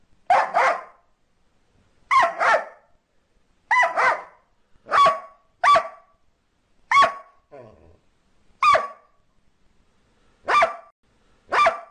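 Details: Border Collie barking steadily: paired, ringing barks repeated roughly every one and a half seconds, about nine bursts with a quieter soft sound midway, otherwise silent background.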